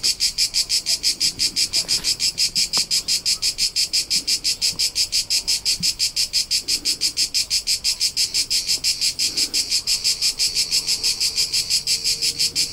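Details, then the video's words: Crickets in the hills of Tuscany, central Italy, recorded on a summer road trip: rapid, regular high-pitched pulses about three per second, constant throughout, with faint scattered ticks and soft low background sounds. "CRICKET SOUNDS for TINNITUS and RELAXATION : : Soothing Soundtrack of Cricket Noises"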